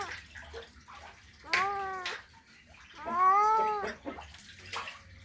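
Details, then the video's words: Male domestic cat calling a female in a mating call: two drawn-out, arching meows, each rising then falling, about two seconds apart, with faint background noise between them. "Male Cat Mating Call Sound Effect"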